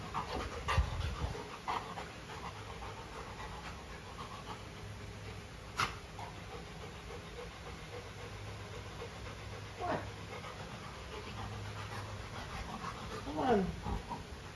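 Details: Panting from Luna, a female Golden Retriever, busy with a carabao horn chew toy at home; quick breathy huffs with occasional knocks, a brief squeaky sliding sound near the end, a steady low hum underneath.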